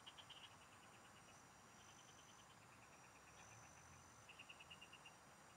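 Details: Frogs singing in the fields, recorded while fishing: a loud pulsed burst opens, then several runs of fast, regular ticking notes follow at varying loudness, with a continuous high drone in the background.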